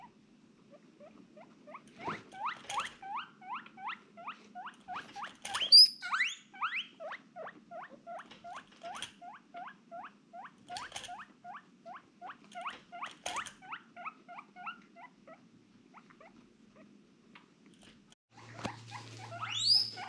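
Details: Pet female guinea pig uttering a long run of short, clipped rising squeaks at a quick steady pace, growing louder in places, with a few sharp clicks and a brief low hum near the end.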